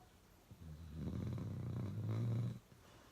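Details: Loud snoring from Uno the dog, a single long, rough, low-pitched inhaled snore lasting about two seconds with a vibrating rattle, swelling toward the end, indoors with no other sounds.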